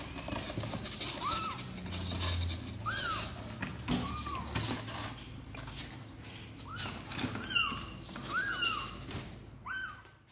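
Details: Kittens of the cats Sor and Kapov, apparently eager to come out and play, give high, short arched mews, roughly eight across ten seconds, some close together, over a low indoor rumble and scattered faint clicks.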